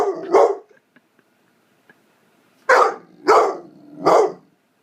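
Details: A nine-month-old blue fawn Pitbull barking for attention, with a pair of quick barks followed by silence for about two seconds, then three loud, evenly spaced barks roughly half a second apart.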